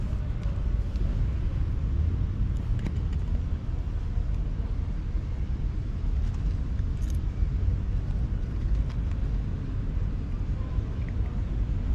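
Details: A steady low rumble of passing road traffic, with no animal voices.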